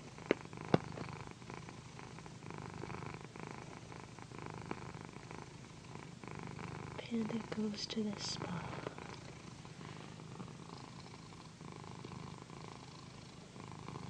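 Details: Pandy, a female house cat, purring loudly while being massaged with a satin pillow: a steady low rumbling drone, with soft whispered speech and rustling of fabric around the middle.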